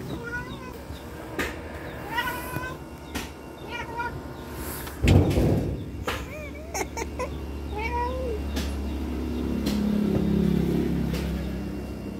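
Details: Domestic cat excited by a lizard, giving a run of short rising chirps and chattering meows with harmonics, followed by a few longer bent meows; clicks, a thump and a steady low hum underneath.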